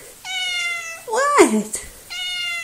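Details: Coco, a small, talkative pet cat, meows in steady, drawn-out tones with a flat pitch. Two long, even meows frame a shorter, bending vocal sound in the middle, and a sharp click sounds near the end.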